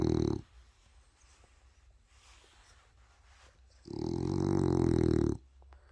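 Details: Male French Bulldog snoring loudly, likened to an old man: a short rasping harmonic snore at the start, a quiet pause of about three seconds, then a longer, louder, rattling snore lasting over a second.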